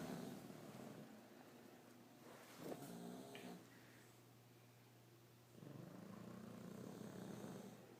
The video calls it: English Bulldog snoring Bosco and Dozer